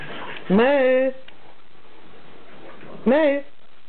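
A French Bulldog gives two short, tonal, whine-like calls that rise at the start, about two and a half seconds apart.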